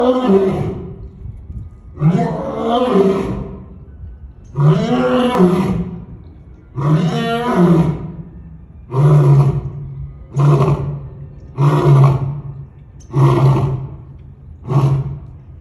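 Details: African lion roaring in a series of deep, grunting bursts, about every one to two seconds, the first ones long and moaning, the later ones shorter and punchy, with steady low rumble underneath.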